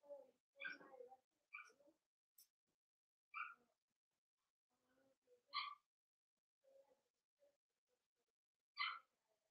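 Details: Daisy's Cavalier King Charles Spaniel puppies, four weeks old, squeak and whimper in their pen; half a dozen thin, high cries mix with softer low murmurs, scattered irregularly with brief pauses.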